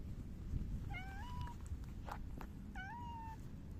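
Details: Silver tabby cat recorded 29 July 2024 during an affectionate rubbing session, giving two short meows that rise then level off, about two seconds apart, with faint low background hum and a few soft knocks.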